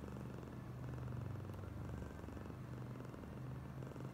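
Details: Oyen, a female pet cat being extra affectionate, purrs steadily in a low, rumbling throb with fast even pulses that swell slightly mid-clip and hold throughout.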